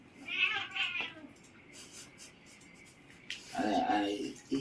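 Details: Siamese cats wrestling indoors in the Philippines give two short harmonic yowls, a pause of faint rustling, then a lower, drawn-out moaning wail near the end.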